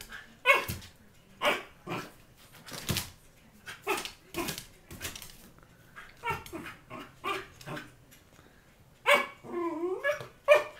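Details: Indoors, Argyle the Fox Terrier tackles a door to get at his prize, giving loud, abrupt barks about once a second, then a quicker cluster and a wavering, rising-and-falling whine near the end.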